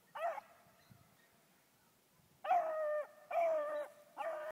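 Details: Bluetick Beagle female pup, four months old, out rabbit hunting: four loud, high, whining bay-like barks, one at the start and three close together near the end after a quiet pause.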